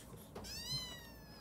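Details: Orphaned kitten, taken in at almost three weeks old, meowing while straining to urinate for the first time indoors: one thin, high, slightly falling meow with a long, drawn-out tail, soft against quiet room noise.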